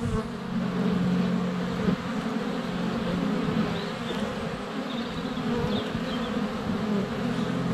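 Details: Many honey bees in flight at a hive entrance on a sunny February day, GoPro Hero 7 Black held under a foot from the hive; continuous low humming buzz with a stronger drone in the first two seconds.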